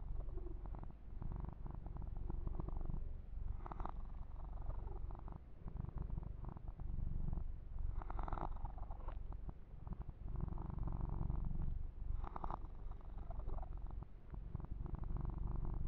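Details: Yumak, a male pet kitten, purring during a massage for ASMR, recorded ear to ear: a steady low rumbling purr throughout, with bursts of rubbing and fur-grooming noise near 4, 8 and 12 seconds.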